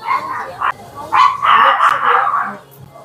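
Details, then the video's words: Dogs at a busy dog café in Cheongdam, Seoul, with high-pitched yapping barks in quick bursts, a few short yips and then a longer run of overlapping barks, amid indoor room noise and faint talk. "강아지들 천국 애견카페! 그곳에서 깜지는 .. (시끄러움 주의)"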